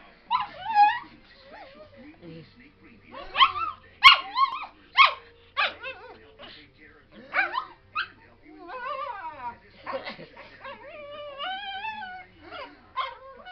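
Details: Pet dog that hates even the slightest breeze on his face, in a whiny mood: long series of wavering, yodel-like whines and short yelping notes, rising and falling, with a sharp click near the middle.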